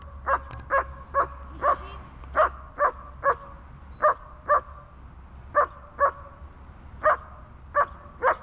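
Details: On a bungee tether during training in gripping, struggling and calming, a dog barks steadily, about twice a second, sharp regular barks with brief pauses; calm praise in Russian follows.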